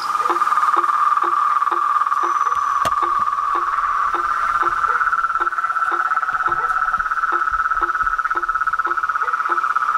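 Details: Chorus of frogs and toads: a continuous buzzy mid-pitched trill runs throughout, with short low knocking notes repeated about twice a second beneath it and one sharp click partway through.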